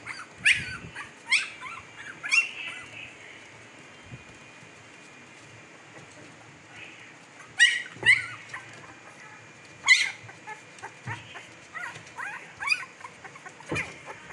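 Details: Fifteen-day-old Siberian Husky puppies in Pakistan, eyes just opened, give high, thin squeals that bend downward, in scattered bursts: three in the first seconds, a quiet pause, then more at irregular intervals against a faint steady hiss.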